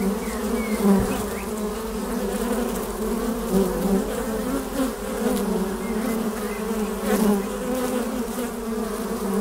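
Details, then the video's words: At the entrance of a hive, honey bees create a constant deep hum, with individual bees whizzing past the microphone in brief louder swells; a faint bird call sounds early on. "Bienensummen am Flugloch - 5 Minuten das Summen der Bienen"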